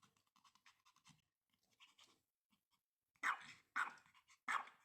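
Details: Pomeranian called Dudu, torn between playing with and fearing a new toy: soft scattered snuffles and clicks, then three sharp, loud yapping barks about half a second apart near the end.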